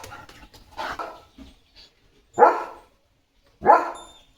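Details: Leo, a German Shepherd, barks at cattle walking past the farm in the morning. Low talking is followed by two loud, deep barks about a second apart, each fading quickly into quiet.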